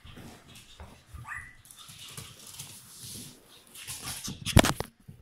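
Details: Cream-coloured male Chihuahua puppy named Buratan, born 30 April 2018, awaiting a new owner; a short rising whine early on, then a sharp loud yap near the end, amid indoor rustling and handling noise.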